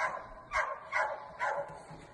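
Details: Saint Bernard puppy whimpering, reluctant to go downstairs: four short, soft, muffled whines in quick succession, quiet against a faint room background.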